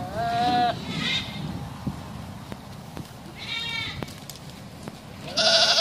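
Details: Bishi goats from a group of nineteen, bleating in short nasal, quavering bursts: two close together at the start, another mid-way, and a loud one at the end, with background hiss and occasional taps.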